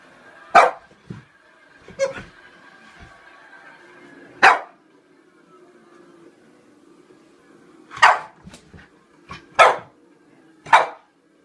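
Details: French Bulldog named Pluto, frightened by a toy clown, gives single loud barks spaced a few seconds apart, with a low steady hum in the background between them.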